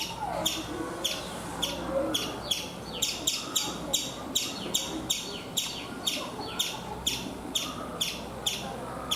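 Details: In India, a chipmunk perched on a coconut tree calls with a long run of crisp, high chip notes, roughly two per second in an even rhythm, over a low steady background murmur.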